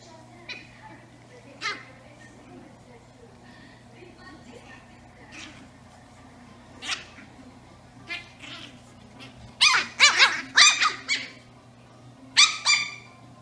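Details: Eight-week-old Brussels Griffon puppies, twin sisters, playing indoors while a black Labrador Retriever joins in; scattered high squeaky yips and short barks, then a rapid cluster of sharp yelps near the end over a steady low hum.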